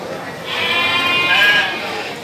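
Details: Goat bleating at the Citeko livestock market in Plered, Purwakarta, Indonesia: one high, quavering, nasal bleat lasting about a second, with crowd noise around it.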